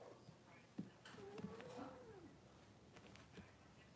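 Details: A Cavalier King Charles Spaniel puppy, six weeks old, in an indoor puppy pen during deworming and nail trimming, gives a thin, drawn-out whine that climbs slightly then fades, with soft clicks and quiet voices behind.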